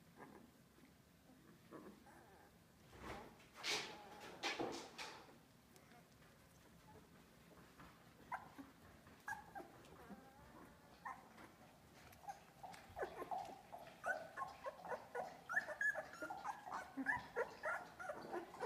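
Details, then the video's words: Australian Labradoodle puppies, two weeks old, from Olive's litter at Pine State Australian Labradoodles; a quiet start, then a loud burst near four seconds, followed by a run of rapid, high, squeaky whimpers and squeals, several pups calling over one another. "Olive's Australian Labradoodle Puppies - 2 weeks old"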